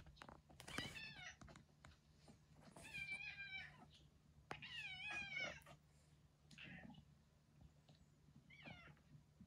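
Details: Elderly retired boss cat, once ruler of a residential area and now in home end-of-life care, gives a series of wavering, strained meows in quick succession, some stretched and quavering, with knocks and handling noises between them.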